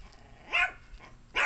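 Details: Domestic dog guarding a plate of chicken, giving two short, sharp barks about a second apart over a quiet background.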